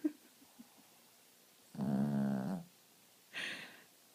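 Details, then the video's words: Pet dog in deep sleep, snoring indoors: one long rasping low snore of nearly a second, then a shorter breathy exhale, with quiet room between. "Snoring dog"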